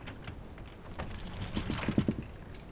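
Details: Koume, a pet Shiba Inu, gives a single, very short reverse sneeze right after a pebble is taken from her, seemingly from sudden excitement. There is a quick burst of about five low, rapid snorting pulses lasting under a second, indoors.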